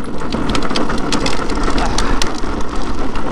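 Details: Loud, steady low rumble like wind or a passing vehicle with scattered clicks and taps, and no animal voice.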